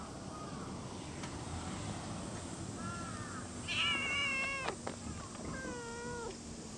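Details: A cat meowing twice: a long, bright, slightly wavering meow followed after a short gap by a second, lower meow that slides downward, over a steady rumble of background noise.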